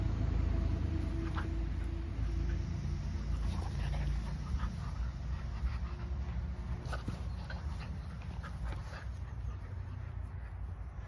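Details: Ten-week-old Weimaraner puppies breathing in quick, rapid pants with a few faint, short squeaks. A low steady rumble runs underneath.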